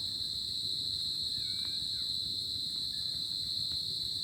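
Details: Crickets on a tropical summer night give a steady, high, shimmering trill that runs unbroken through the night air.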